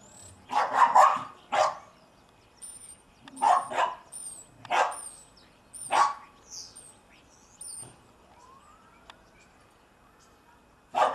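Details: Young German Shepherd, about seven months old, playing in the snow, gives loud harsh barks in spaced bursts, roughly five over eleven seconds, with thin high squeaks between them and a quiet stretch before a final bark.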